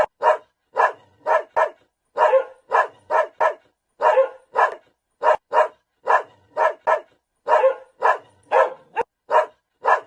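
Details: A dog barks repeatedly: about twenty short, harsh barks in ten seconds, grouped in pairs and triplets with brief pauses between.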